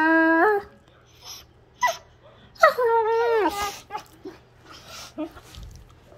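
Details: Pair of wolfdogs at play: a steady high whine that steps down, a short yelp, then a long wavering moan that slides downward, followed by quieter scuffling and soft breathy sounds.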